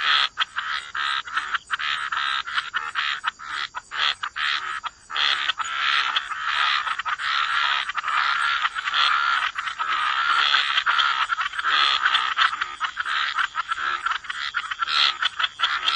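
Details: Dense wetland chorus of croaking frogs by the water, a continuous rattling wall of overlapping calls with quick pulsing breaks and no pause for the full stretch.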